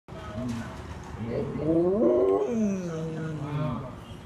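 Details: Pet dog howling at the repetitive sound of an old newspaper collector lorry: a drawn-out wavering howl that rises and then falls, lasting several seconds, with the dog's noises layered in bands.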